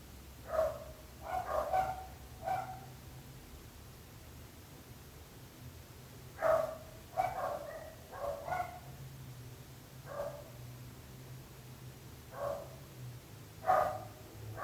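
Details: Neighbour's dog barking persistently in clustered bursts, two or three quick barks then a pause, repeating over about fifteen seconds, with a low background rumble throughout.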